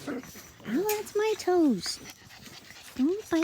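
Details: Playing Australian Cattle Dog puppies yelp and whine in clear tonal bursts that swoop up then fall, several in quick succession, with a pause before two more.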